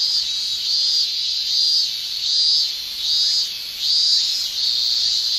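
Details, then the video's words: Male cicada in a Japanese summer singing in a pulsing pattern: shrill, high buzzy bursts about every second, alternating louder and softer, over a steady background hiss of more cicadas. "Japan Summer Cicada Shrilling"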